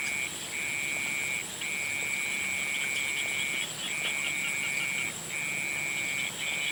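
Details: Sunset chorus of frogs: six long, level, high trills follow one another with brief gaps of under half a second, while a steady, thin, high background whine continues without pause.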